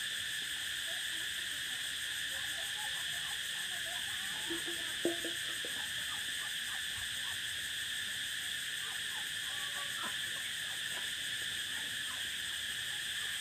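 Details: Prairie cicada chorus droning without a break, a constant shrill buzz in stacked high bands, while faint scattered chirps and ticks flicker in the background and a single soft knock falls near the middle.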